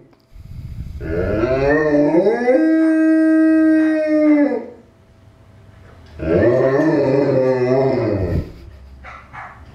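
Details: A Newfoundland dog gives two drawn-out howls separated by a quiet pause. The first is smooth and level, and the second is rougher and wobbling. Both are full of stacked overtones.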